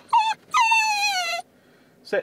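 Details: Female Basenji dog crying in a parked car while her owner is away: a short whine, then a long drawn-out wavering cry slowly falling in pitch, followed by a brief sharp yelp.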